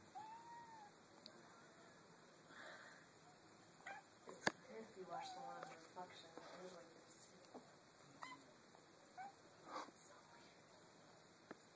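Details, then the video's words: Mizu, a pet kitten, reacts on seeing his reflection for the first time, giving short soft meows scattered through the clip, with people talking to him in a small indoor room. "Kitten mirror reaction"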